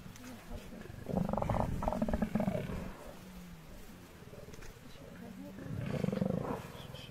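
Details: Hungry lions facing an angry buffalo herd in the wild; low, rough roaring growls in two bursts around one and six seconds, with quieter rumbling between.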